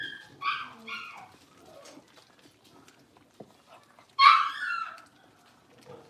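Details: Blenheim Cavalier King Charles Spaniel puppies, a litter of five born at New Year's, playing in an indoor puppy pen; high-pitched yips and whining squeals, two short bursts early, then a louder rising yelp near the end.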